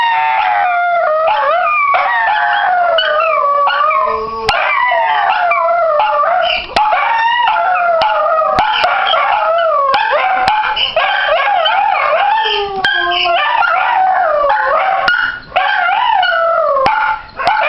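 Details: Dachshunds, started by Missy, break into a spontaneous group howl in long, wavering, overlapping tones that rise and fall without pause, with Celt howling from another room; recorded 14 January 2015.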